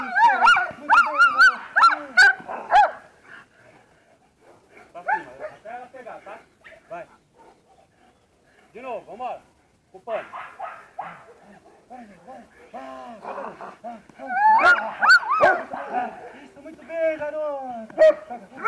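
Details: German Shepherd, a female, in protection training, barking in loud, irregular bursts with whining tones, fast at first, then sparser scattered barks, then another dense burst; a man's voice and clapping are present.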